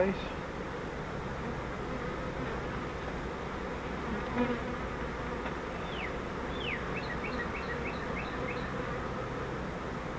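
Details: Honeybee swarm caught in a custom flowerpot bait-hive swarm trap, being moved into a Langstroth hive: a steady, dense, unbroken buzzing hum throughout, with a few short descending bird chirps near the end.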